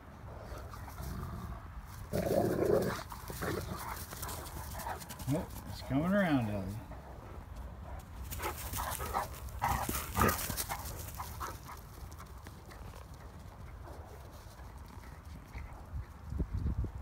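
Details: Two Great Danes, Mikey and Ellie, wrestling and pouncing in play while Mikey tries to lie down in the sunshine; a wavering, harmonic whine-growl rises and falls mid-clip amid scuffling thumps, with a man talking and calling to Ellie.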